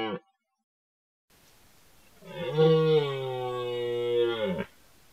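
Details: In a rutting forest, a red deer stag lets out one sustained, rich bellow of over two seconds, swelling in then steady and ending abruptly, after the tail of an earlier roar and a quiet, slightly noisy background.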